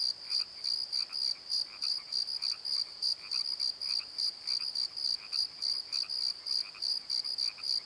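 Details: Crickets calling after dark in a valley bottom at the Pozo Night Tree, clustered high chirps in rapid bursts, interleaved with quieter, deeper croaking pulses.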